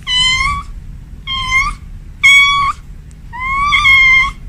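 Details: Domestic cat indoors at home, said to be a female calling for a male: four clear, high, nasal meows in quick succession, each held about half a second, with a quiet rumbling background.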